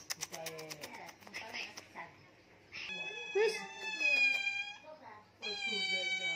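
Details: Persian kittens at play give drawn-out, high, steady meows, one running from about three to five seconds and another starting near five and a half seconds, after opening seconds of people talking and light clattering.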